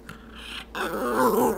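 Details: Stormy, a pet dog wanting a treat from the jar, lets out a single loud wavering moan that swells after a short pause, a throaty, speech-like growl indoors.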